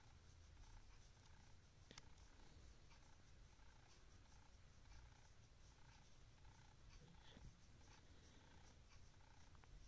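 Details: Pet cat named Simba, indoors at midnight after waking its owner, purring steadily: a low, continuous rumble with soft rhythmic pulses repeating about twice a second over quiet room background.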